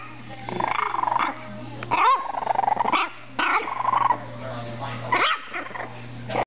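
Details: Five-week-old French Bulldog puppy, described as mean, growling and yapping in short rough bursts with rising squeaky yelps, several per second-long burst, separated by brief pauses.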